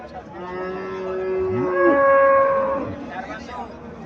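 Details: A cow at a cattle fair in Mirshanni, Comilla, Bangladesh, gives a long moo lasting about two seconds. It starts low, slides sharply upward into a higher, strained tone, then fades, over a murmur of market noise.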